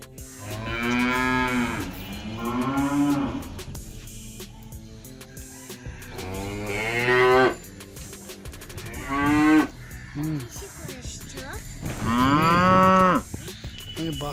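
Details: Cows of a village herd low repeatedly, giving four long, harmonic-rich moos spaced several seconds apart, some rising at the end, with short gaps of quieter background noise between them.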